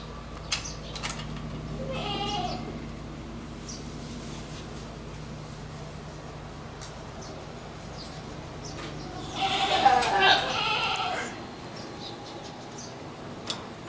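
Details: Goat calls in a quiet setting: a short faint bleat early on, then a louder, rougher bleat about ten seconds in, with low steady background hum between.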